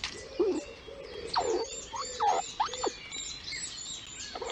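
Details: Squirrel named Lilli, a mother squeaking at her young in the nest, captured on a nest livestream: short, high, curving squeaks repeated irregularly over a few seconds, with faint thin chirps above.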